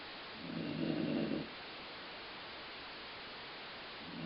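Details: Dog named Colline asleep and snoring, a noise likened to stomach growling: one full buzzy, rattling snore near the start and the beginning of a second at the very end.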